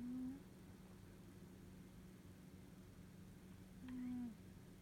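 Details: Sleeping Norwegian Forest Cat snoring contentedly indoors; two soft, low whistling snore notes about four seconds apart, each slightly falling in pitch, over a steady low room hum.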